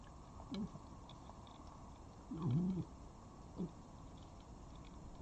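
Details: A wild red fox at a garden feeding spot in Dublin, Ireland, on 13 October 2021, filmed by webcam, gives a few short, low, wavering whines and growls spaced a second or more apart over a steady hum.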